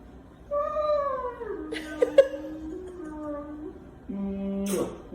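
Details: A male Rottweiler, just kissed by his owner, gives drawn-out, sing-song whining moans that slide down in pitch, then hold low and steady.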